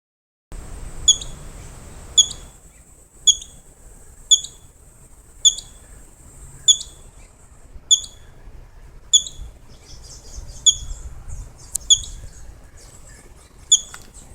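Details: Squirrel hiccuping: sharp, very high, squeaky clicks repeat roughly once a second, about a dozen in a row, steady at first and slightly irregular later, over quiet background.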